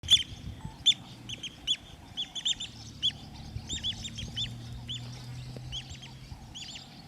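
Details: African wild dogs at Mana Pools give high, chirping twitters, short arched squeaks repeated roughly once a second with uneven spacing. A faint low hum runs underneath.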